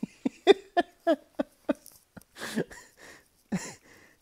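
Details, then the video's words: English Setter acting weird indoors, giving a run of short, throaty grumbles and yips, about three a second, then softer breathy moans; a person laughs nearby. "English Setters Being Weird"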